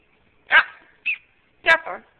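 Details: Pet dogs at home in the evening, with Akilah guarding her things from Saphyre, recorded on a Samsung Instinct cell phone: three short, harsh, harmonic yelping barks spread over about two seconds, with quiet pauses between them.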